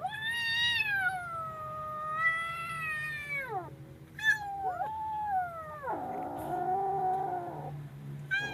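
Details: Kitten in fear letting out a sustained, harmonically rich yowl lasting several seconds, followed by shorter bending cries and a rougher, lower, strained sound near the end.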